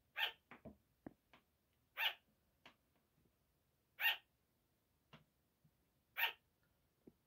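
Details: At 5 am, sugar gliders bark in the night: high, piercing yaps about every two seconds, interspersed with clicking, tapping and rustling noises from movement.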